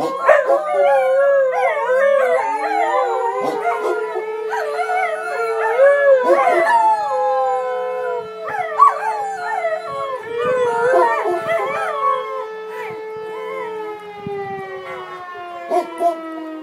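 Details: Whippets howling together during an alarm drill as a siren winds up and holds, then slowly drops; dense overlapping howls waver and glide, with short yips and clicks, fading toward the end.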